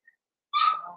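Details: One of five young blenheim Cavalier King Charles Spaniel puppies, born at New Year's in the Red Barn Cavaliers pen, gives a single short whimper that starts loud and high, then fades and drops in pitch.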